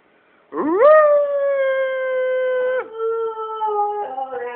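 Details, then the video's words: Twelve-year-old pet Siberian Husky howling indoors while its owners coax it: one long, steady, clear howl that swoops up, holds level for about two seconds, dips, then continues in a lower wavering tone. The room is otherwise quiet. "Tuscany Howl"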